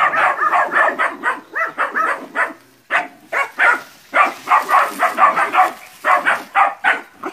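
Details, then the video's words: Nine puppies in training confront a large water buffalo in West Sumatra, Indonesia, barking in a rapid, overlapping chorus of sharp yaps, several animals calling at once with barely a pause. "ANAK ANJING VS KERBAU"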